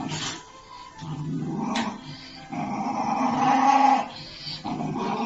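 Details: Dog growling at its own reflection in a mirror, low rumbling growls in several bursts with short pauses, a faint higher whine, and light background music.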